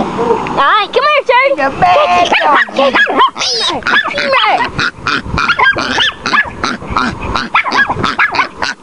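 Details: Tootie the Chihuahua barking at bay on a wild boar piglet: choppy high barks and yips, tremulous squealing cries early on, and a human voice heard among them.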